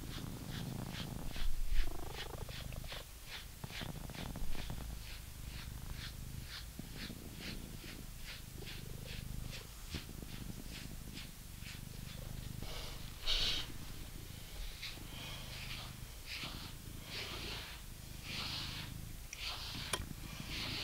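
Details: British Shorthair cat named Coco purring while being brushed, a continuous low rumbling drone under quick, rhythmic swishing brush strokes, roughly four per second, with a few louder scratchy strokes.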